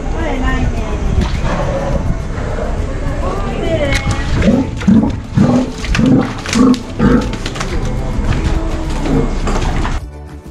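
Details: Male Steller sea lion at an aquarium during his once-a-year breeding season, giving deep pulsed roars in a run of about five bursts, with people talking and background music throughout.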